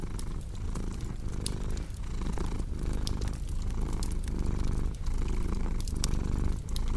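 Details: Rich, rumbling purr of a cat, evenly pulsing with its breathing, mixed with intermittent sharp pops of crackling firewood.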